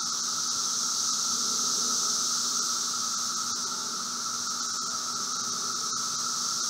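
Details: Brood V 17-year periodical cicadas (Magicicada) outside a residence in Logan, Ohio, late spring, 4 June 2016, 3:10 p.m.: a dense chorus at several distances forming a steady droning roar with a bright, hissing upper layer.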